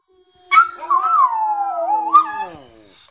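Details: Two West Highland White Terriers, Lana and Kacper, howling together: a long wavering tone that slides slowly downward with quavering bends, a second voice rising in near the end, over a quiet background.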